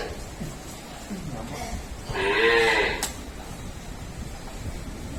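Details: ['Single brief, rising-then-falling nasal call from a Murrah buffalo at a dairy farm, lasting under a second, over a low background hum with a sharp click just after.']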